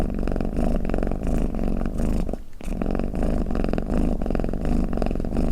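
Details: Domestic cat purring and snoring: a steady low rumble of fast, closely spaced pulses, briefly broken by a short pause just before the midpoint, then resuming at the same even loudness.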